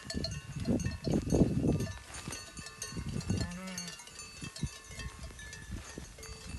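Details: Merino sheep on a farm in Turkey, offered for delivery: a single wavering, harmonic bleat midway through, after heavy trampling and rumbling in the pen, with ringing bell tones in the background.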